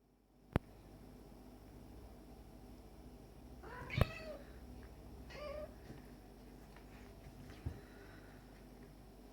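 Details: Two male cats, Tom, a black and white cat, and a stray male kitten, play fighting indoors; a short harmonic meow rises and falls midway, with a second fainter cry and sharp knocks before and after.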